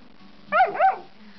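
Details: Airedale Terrier puppy, twelve weeks old and male, singing in the morning: a brief double-noted yowl, two quick rising-and-falling syllables lasting under half a second, against a quiet indoor hum.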